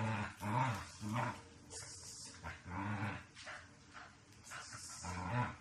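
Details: Shiba Inu dog during behaviour-correction and obedience training; short low growling grumbles in bursts about every half second to second, with quieter gaps and faint rustling between.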